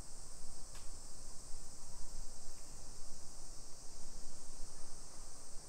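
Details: Cicadas in suburban Nisshin near Nagoya, Japan, on a July 2021 summer afternoon, 1 PM: a continuous shrill, hissing drone holds at an even level, with a brief sharp click and low traffic-like rumble beneath.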